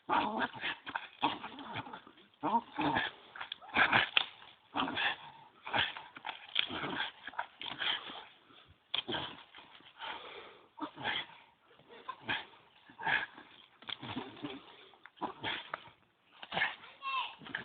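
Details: A pet dog at a tree making strange noises: rapid runs of whiny, yelping and whimpering bursts, some with rising and falling tones, repeated in dense clusters with brief pauses throughout.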